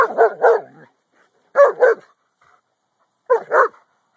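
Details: Boston Terrier watching the neighbours, barking at the Corgi dog next door; recorded with an Android phone. Three bursts of doubled barks, each pair quick and gruff, separated by pauses of about a second.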